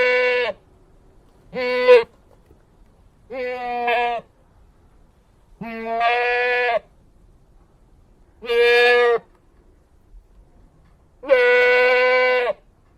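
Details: Goat calling with a series of six bleats, some brief and sharp, others drawn out and tremulous, coming every two seconds or so in a quiet setting.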